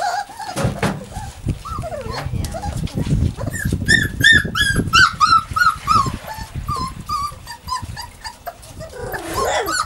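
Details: Savannah and Jericho, puppies at playtime, give fast high yips and squeals, several per second, with shrill rising whines, over low thumping and scuffling from their tussle.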